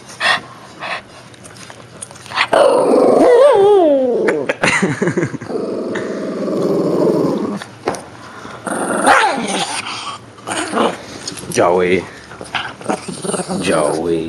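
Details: Shih Tzu named Joey, indoors, growling as it grapples with a whale it is said to kill; a long low rumbling growl with a few whining, wavering notes, brief rustling and a person's encouraging voice around it.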